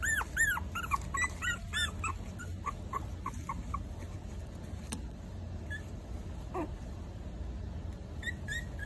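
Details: Four-week-old Maltese puppies whimpering: high, arched whines rising and falling in quick succession for the first two seconds, then fainter scattered yips over a low steady background hum.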